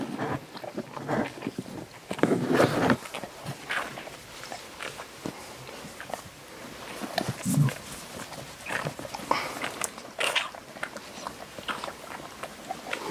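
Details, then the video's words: Maya, a female Siberian Husky and Alaskan Malamute hybrid, screams indoors while giving birth to her first puppy with human help. A harsh, broadband scream bursts out around two to three seconds, then shorter cries follow, with people talking softly nearby. "Husky Malamute screams giving birth to her first puppy"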